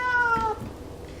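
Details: A domestic cat gives one short meow that slides gently downward and fades within half a second.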